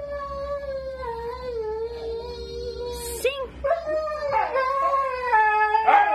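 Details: Husky dogs howling: a long, wavering tone slowly sinking in pitch. A brief hissy break follows near the third second, then fresh overlapping howls that rise and waver again.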